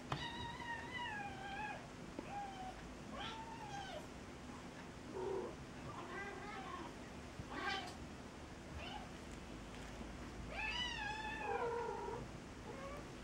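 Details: Cat that has befriended a kitten, meowing repeatedly: a series of varied meows, some long and bending downward, others short and chirpy, roughly every one to two seconds, with a faint steady hum in the background.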